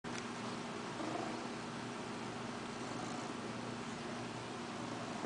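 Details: A 5-year-old male Ragdoll cat purrs close up, a steady, low, rumbling vibration that runs without a break.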